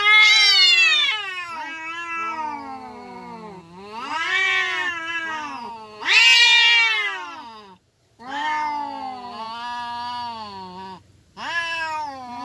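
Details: Village cats fighting in Indonesia, giving long drawn-out yowling caterwauls with rich harmonics, rising and falling in pitch, several overlapping wails of one to three seconds with brief pauses between them, loud and close.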